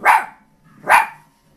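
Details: A five-month-old puppy barks at buffalo seen in a television documentary, giving two loud, rough, harmonic barks about a second apart, with faint background sound between them.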